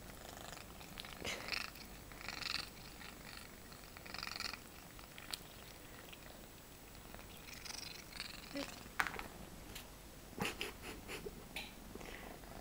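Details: Pet female cat producing strange sounds as she eats, heard as repeated soft rasping, snuffling bursts every second or two, with a few sharp clicks and brief squeaky notes.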